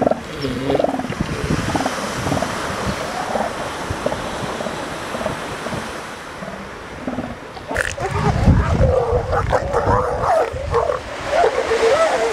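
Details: Northern elephant seals, molting animals and pups on the Pacific coast of California and Oregon, making rough, throaty bellows and warbling calls that grow louder and busier in the second half, over surf noise.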